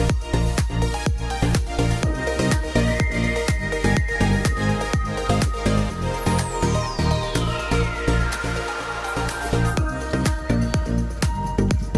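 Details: Electronic trance-style music with a pulsing beat and a long falling synth sweep midway, with no goat bleats or other animal sounds audible.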